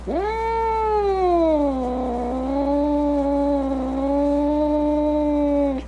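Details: Angry domestic cat giving one long, drawn-out moaning yowl lasting about six seconds. It starts with a sharp rise, dips lower, then holds a steady, rich, wavering tone before cutting off abruptly.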